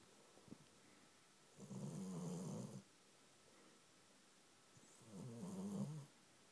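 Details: Cat fast asleep on a person's knee, giving two long, rough, rumbling snores over a second long each, separated by a few seconds of near silence.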